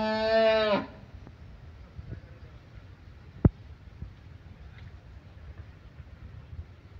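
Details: Cattle on a large farm beside a fish pond in Bangladesh, April 27, 2024: a loud, steady, tonal moo rich in harmonics lasts under a second at the very start, then only quiet room-like background with a few faint knocks.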